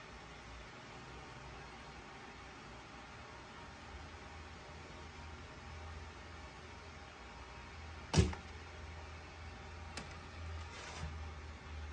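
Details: Quiet indoor hum broken by one sharp knock near the middle and a couple of softer taps afterward.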